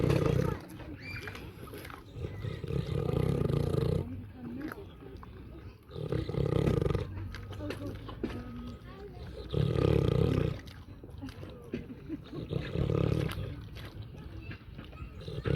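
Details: Farm pig snoring in a slow rhythm, each heavy, low, rumbling breath lasting one to three seconds and returning every three seconds or so, separated by softer wheezy rustling and a few faint thin squeaks.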